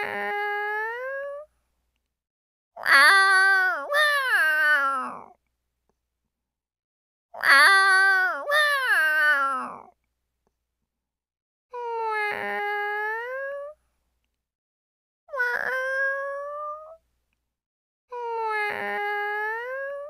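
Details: A house cat asking to be pampered repeats its meows about every two to three seconds, alternating loud, wavering double meows that slide downward with softer, smooth meows that swell and rise at the end; quiet pauses separate each cry.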